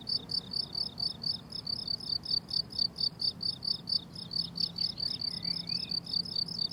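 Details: Meadow crickets in summer trill in fast, high pulses, about four bursts a second, forming a dense steady chorus; a faint bird call drifts in briefly toward the end.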